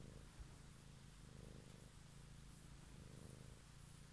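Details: A domestic cat purring softly in the evening, close and quiet: a steady low rumble with gentle breath-paced swells and faint background hiss.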